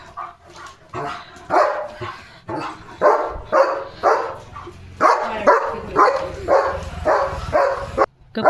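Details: German Shepherd barking and jumping near the gate in the evening, foaming at the mouth: a long run of loud, harsh barks, close to two a second, continuing almost without pause.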